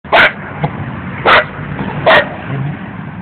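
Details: Scooby the dog gives three short, sharp barks about a second apart, each a loud burst followed by a quiet room hum between them.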